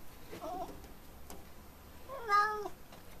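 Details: F6 Savannah cat, a pet kept indoors, gives a soft, brief mew, then after a pause a clear, drawn-out, rich meow that rises slightly and then falls, over quiet room background.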